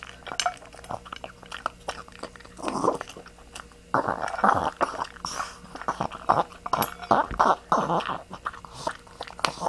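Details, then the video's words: Indoor recording of Zoey the dog grunting, with short raspy grunts and snorts in uneven bursts, interspersed with crunchy chewing and biting noises. "Zoey's Grunting"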